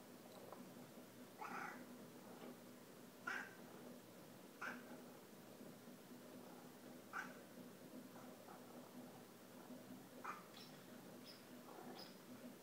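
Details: Cats watching hummingbirds come to feeders on a rainy day, giving short, bright chirp-like meows spaced a second or more apart, over a faint steady hum.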